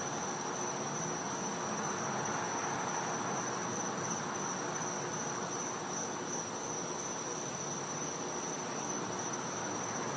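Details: Cicadas heard at night during winter in a back yard in Florida, producing a persistent high-pitched steady whine over a constant background of hissing insect noise.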